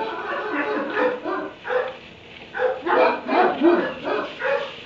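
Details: Loud barking from a dog shut in a kennel inside a barn at 3 a.m., March 30, 2017: rapid, close bursts about three per second, some rising and strained, over faint background noise.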